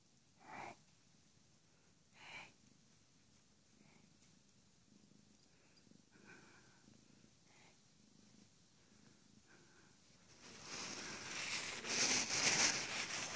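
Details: Siamese cat with a soft, rhythmic purr pulsing about twice a second, a few louder breaths early on, and loud rustling noise covering the last three seconds.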